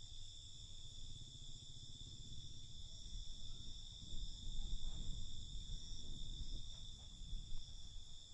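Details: Night crickets producing continuous, even high-pitched trilling that holds without pause, set against a murmuring low-frequency rumble that swells toward the middle.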